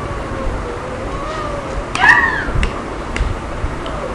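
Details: A 2-month-old Lhasa Apso puppy, not in a playing mood, gives one brief, high whine that rises and falls over a low background hum.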